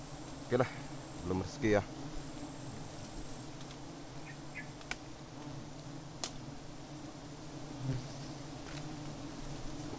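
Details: Apis dorsata colony drone during an unsuccessful honey harvest: continuous low humming throughout, broken early by two brief bursts of a man's voice and later by scattered sharp clicks and taps.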